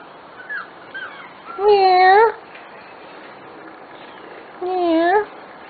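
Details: Corgi puppies of a special litter, almost six weeks old: two drawn-out whining yelps about three seconds apart, each tonal and slightly rising at the end, with quiet in between.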